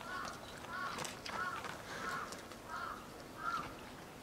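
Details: Lila, a two-year-old female polar bear at Maruyama Zoo, Sapporo, Hokkaido, Japan, caged with her 22-year-old mother Lara on 19 January 2017, pleads to nurse: nasal, wavering cries repeated about every 0.7 seconds, six in a row.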